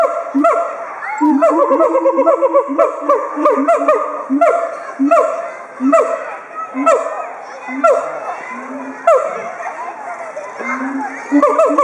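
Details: Siamang pair at Chiba Zoological Park, Japan, 18 October 2013: two excited animals with inflated throat sacs call together as a threat toward intruders. Loud harmonic barking whoops come in rapid bursts roughly every second, and children's voices sound in the background.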